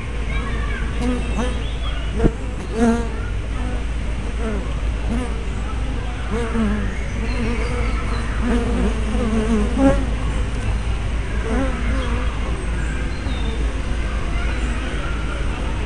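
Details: Honey bees coming and going at a hive entrance, 24 May 2012, captured by a fisheye spy camera; many bees buzzing at once, short wavering tones swooping up and down over a constant low drone, with a couple of soft knocks.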